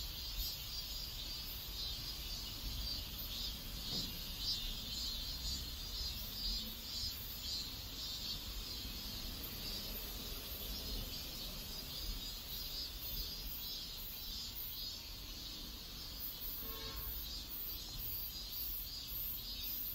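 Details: South Korean neighborhood cicadas produce a dense, pulsating high buzz for the full stretch, accompanied by faint low background noise and a short tonal sound near the end.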